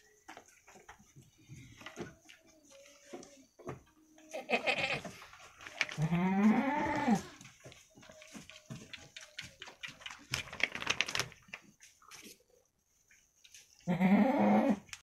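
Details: Two female goat kids about one week old, a cross of Jawa Randu Kacang and Jawa Randu Super goats, playing inside a pen; a drawn-out wavering bleat mid-clip and another near the end, with shuffling and clatter between.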